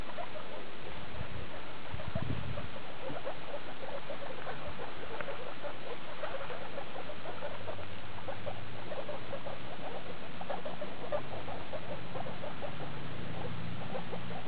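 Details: Skinny guinea pig Daisy with her babies from litter E2, born 2 August 2012, recorded 19 August 2012 at CHS Luna: dense, rapid series of short chirping squeaks, with a low rumbling hum underneath.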